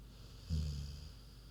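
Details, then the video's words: Queenie, a big pig, sleeping and snoozing: a single short low rumbling snore about half a second long, rising out of a quiet room hiss and then fading. "Big Pig Snoozin' (HD Queenie Snoring Audio)"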